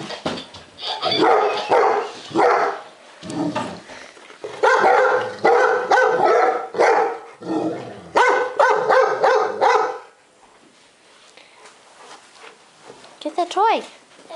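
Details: Two Golden Retrievers, including a timid rescued male nearly three years old, barking in fear at a laughing lion toy; rapid, irregular bursts of harsh barks for about ten seconds, then near quiet with a short rising whine near the end.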